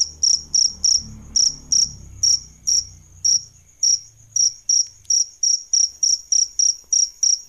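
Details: Adult crickets, a male and a female, suited to songbird training: crisp shrill chirps about three per second, irregular then quickening, over a faint low rumble during the first half.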